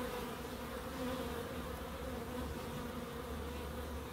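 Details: Constant humming drone of bees in a small wildlife garden in Crookes, a dense, unbroken buzz with a steady low wingbeat pitch and a soft overtone above it.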